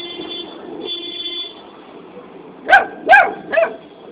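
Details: Asking for a biscuit, a puppy gives three quick high yips near the end after a stretch of low hum and faint background noise.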